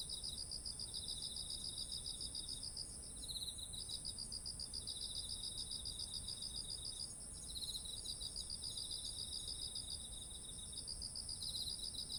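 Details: Insect voices of autumn near ripening rice, captured with a ZOOM H1essential; bouts of fast pulsing trills come and go every few seconds over a constant thin, high-pitched ringing drone.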